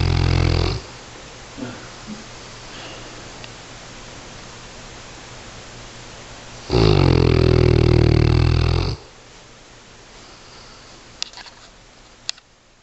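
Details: A sleeping dog snoring indoors: one long, loud, rasping snore lasting about two seconds, rich in low rumbling tones, set between quiet stretches with a brief faint breath and a few small clicks near the end.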